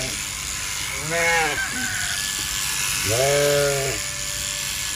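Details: A sheep being sheared in winter gives two drawn-out, quavering bleats about two seconds apart, each near a second long, against the constant loud drone of electric shearing clippers.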